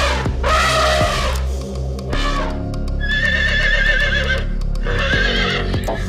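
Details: Horse neighing: a bursting, shaky whinny lasting about a second, then further whinnying calls and a quavering high stretch, over background music with a steady beat.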